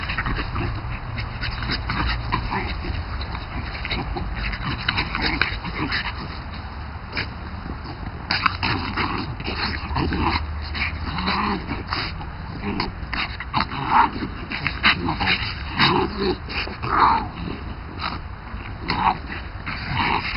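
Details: Two French Bulldogs playing chase together in a garden; rough grunts, snorts and brief whiny yips come in uneven bursts, some louder peaks toward the end, with rustling movement throughout.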